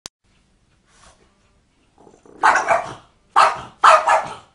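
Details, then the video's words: Dog making cat-like noises: after near silence and a faint sound, three short, harsh, yowling bursts come in the last two seconds, the final two close together. "Dog makes cat noises"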